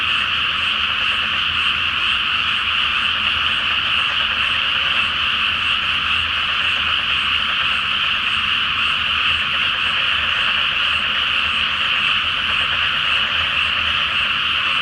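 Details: Great nighttime frog chorus from a flooded rice paddy in Japan before planting, under the full moon; constant overlapping croaks forming a level, shimmering drone throughout.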